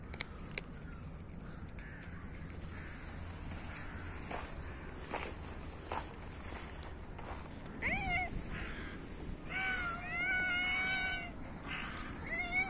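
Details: Hungry cats competing for food in winter, meowing loudly as they are fed: after a stretch of low street rumble, several drawn-out harmonic meows arrive in the second half, some wavering, over steady background noise.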